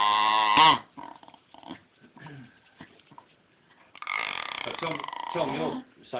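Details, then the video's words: Pet dog 'talking' because it wants to be stroked more while being rubbed on the belly: a loud, drawn-out harmonic whine that bends in pitch, then quieter grumbling sounds, then a long wavering moan-like vocal near the end. "Funny Talking Dog!"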